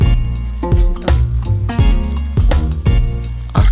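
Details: Rhythmic music with strong low beats and sustained harmonic tones throughout, with no animal sounds heard.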